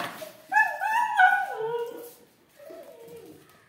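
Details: Siberian Husky, a female named Kittu, whining excitedly indoors on hearing talk of going out and seeing her leash; long wavering vocal whines rising and falling, two bursts with a pause between, a person speaking Hindi nearby.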